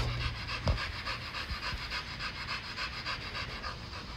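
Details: Dog playing in a yard, panting fast and evenly, about four breaths a second, with a brief thump early on and faint low rumble behind.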